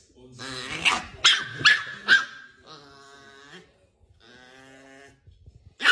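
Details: Angry Chihuahua, shown as a funny pet, lets out four sharp, high yapping barks in quick succession, then two drawn-out, tonal snarling growls separated by a short pause, with a final bark at the end.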